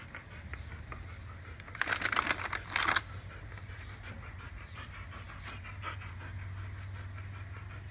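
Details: Siberian huskies, three of them (Candy, Cookie and Happy) trying to take Barry's treat stick. Steady, rapid breathy panting indoors, with a burst of louder rustling and chewing-like crackle around the middle and a low steady hum beneath.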